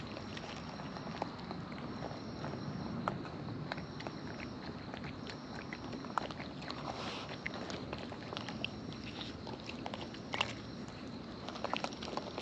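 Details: Close-up of wild raccoons feeding, their chewing audible as a loose run of soft clicks and crunchy bites at uneven intervals, a few sharper snaps standing out, over constant low rumbling ambience.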